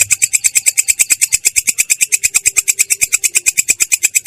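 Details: Katydid known as belalang kecek in ngerol song, a clear, coarse voice: loud scratchy pulses repeated rapidly and regularly, about seven each second, filling the whole stretch.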